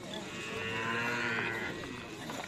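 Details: Cattle at karapan sapi bull racing training in Pamekasan, Madura: a single hoarse, noisy moo lasting about two seconds, swelling and fading, over background chatter.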